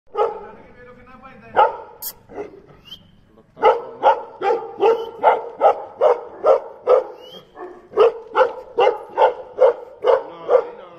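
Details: Tibetan Mastiff female, 1.5 years old, barking in a steady run of deep, booming barks roughly every half second after a few scattered opening barks and some low muttering.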